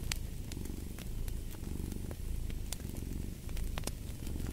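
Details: Close, rumbling cat purr, thick and low, rising and easing with breathing, punctuated by bright pops of a crackling fire.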